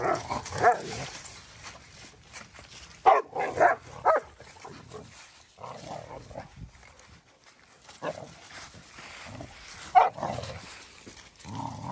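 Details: Dogs at play: Odin the German Shepherd and $amson the Boxer, with rescued dog Bella joining in. Short harsh barks and growly play bursts in clusters near the start, middle and end, with quieter gaps and some human speech.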